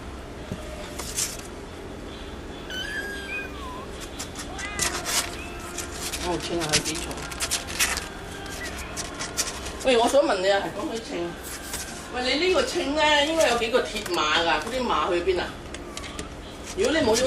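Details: Three-week-old kittens, four cats in all, give several short high mewing calls early on, then a run of louder wavering, rising-and-falling meows in the second half over a rustling indoor background.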